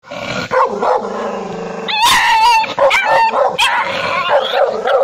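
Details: Angry dog barking loudly: whining, wavering tonal yelps followed by sharp, strained barks and rising cries, irregular and dense, with a brief low moan near the start.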